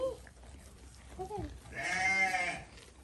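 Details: Goat being fed: brief Indonesian chatter, then a single loud, tremulous bleat lasting under a second, bright and nasal with a shaky vibrato.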